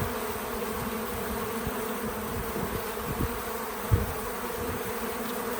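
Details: Bees visiting a feeder outdoors on a small farm, filmed in real time: a steady low droning hum with a few louder passes as insects fly close, over soft background hiss. No music or talking.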